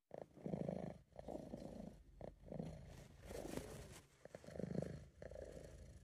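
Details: Sabu, a British Shorthair cat, purring in a home recording, a purr the owner links to relaxation and contentment; low rumbling bursts of about a second pulse in a steady breathing rhythm, with brief quiet gaps between them.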